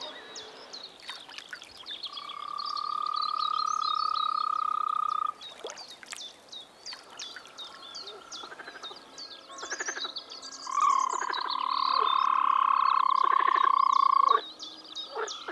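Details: Czech frog calling in spring: two long, rapidly pulsed trills of steady pitch, each about three to four seconds, separated by a pause filled with clicking croaks and birdsong.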